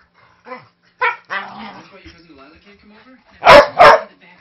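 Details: Five-year-old Manchester Terrier mix with a huge voice, roughhousing harmlessly indoors with a three-month-old husky lab mix puppy; a few whiny harmonic sounds and a person talking, then two loud, sharp barks in quick succession near the end.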